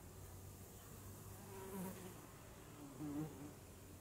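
A honeybee's low, steady wing buzz hums softly, swelling slightly as it passes close.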